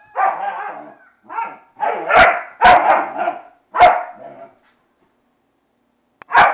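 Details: Dog disapproving of a Flying Monkey toy, barking in a rapid burst of about six loud, rough barks over four seconds, then a pause and one more bark.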